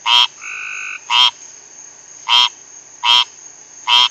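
A rain frog gives short, squeaky, buzzy calls repeated roughly once a second to call other frogs.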